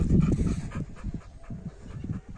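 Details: Labrador Retriever panting during basic training at home: quick, breathy, low pulses repeated in a steady rhythm, strongest in the first half second, then softer and even to the end.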